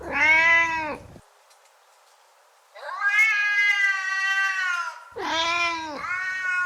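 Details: Domestic cat meows meant to catch another cat's attention: a short arched cry, a pause, then a long steady wailing meow followed by two more bent, nasal meows.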